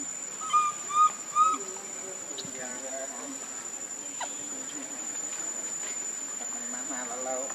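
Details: Pitiful hungry baby monkey Lucie, foaming at the mouth, cries for milk: three loud, clear tonal squeals in quick succession open the clip, then softer wavering whimpers follow over a steady high hiss.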